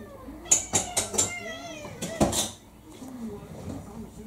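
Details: Kurumi, a roughly four-year-old orange tabby mixed-breed house cat, pestering for dinner indoors: short tonal meows with wavering, bending pitch, mixed with a person's voice and a few sharp clicks and knocks.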